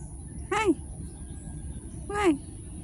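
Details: Street cat giving two short, harmonic mews about one and a half seconds apart, each dipping downward in pitch, over a steady low background hum.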